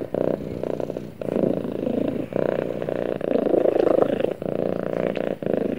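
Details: Snuggling cat purring loudly beside its owner, a dense buzzing rumble rising and falling in pulses roughly every second, slightly stronger toward the end.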